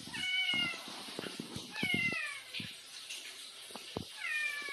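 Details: Talkative cat named Bin, a street cat, chatting back and forth with its owner indoors; three drawn-out, harmonic meows with slightly falling pitch, separated by soft clicks and taps.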